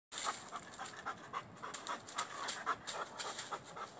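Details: Male Rhodesian Ridgeback climbing a tree after spotting a squirrel high in the branches, wanting to play; quick, breathy panting in steady bursts of about three per second, with faint rustling underneath.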